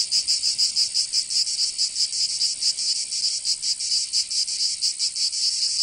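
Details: Summer cicada chorus from Provence in the south of France, a shrill high-pitched buzz throbbing in uneven pulses, some faster and some slower, filling the whole stretch without pause.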